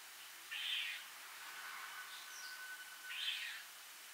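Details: Squirrel up a tree, calling angrily with its mouth full. Two harsh, buzzy bursts sound about two and a half seconds apart, with faint thin whistled tones between them over a quiet background.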